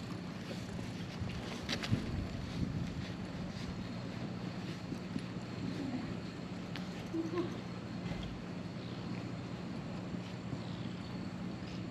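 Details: Steady low rumble like a boat engine near a ferry landing, with wind buffeting the microphone and faint, indistinct voices; no animal calls stand out.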